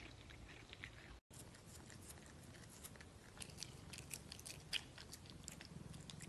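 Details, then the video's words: Cat eating food indoors: dense, crisp crunching and biting clicks come in quick irregular bursts throughout, with a short silent gap just after one second and a soft low room hum underneath. "CATS EATING FOOD"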